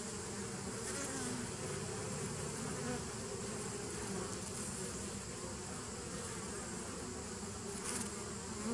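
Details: Bees humming in a 2017 nuc on 27 September 2018: a uniform, heavy low drone held for the whole stretch, with a brief brighter hiss near the end.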